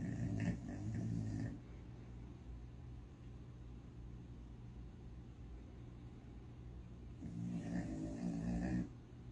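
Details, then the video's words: Sleeping puppy snoring loudly, lying perfectly still: deep, rumbling snores with a low growl-like buzz, two long breaths at the start and end separated by quieter steady background noise. "Puppy snoring like a grown man!"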